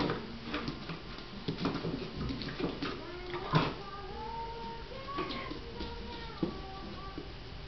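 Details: A Drentsche Patrijshond puppy of almost 9 weeks, excitedly playing with a cardboard box, gives a few high, drawn-out whimpers that rise and fall over rustling and thumps of cardboard.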